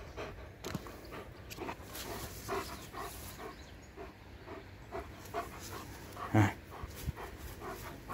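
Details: A German Shepherd at play with a ring gives rapid, uneven breathy panting with brief whimpering squeaks and one louder sharp sound near the end.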